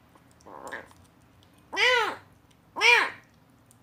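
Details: Rescued kitten, found abandoned in a box, making a strange sound while eating weaning food for the first time, as if saying it tastes great; a soft short murmur, then two loud arching meows about a second apart, indoors.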